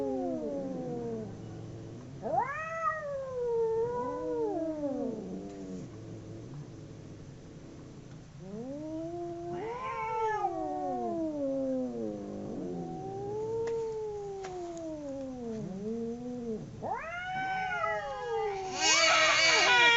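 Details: Fighting domestic cats, two of them, trade drawn-out howls that bend upward and sag down again, voices overlapping in waves; a burst of hissing noise closes the sequence.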